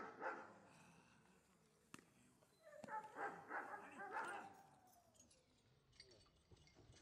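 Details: Gyn-Yuu, a Giant Schnauzer in protection work training for IPO, lets out a rapid run of gruff barks in the first four seconds, with sharp cracks and a handler's voice nearby, then quieter sounds.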